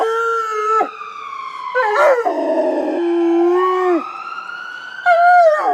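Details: Rottweiler howling along with passing ambulance sirens: rough broken howls and a steady held note that slides downward, interleaved with a high, slowly rising siren tone.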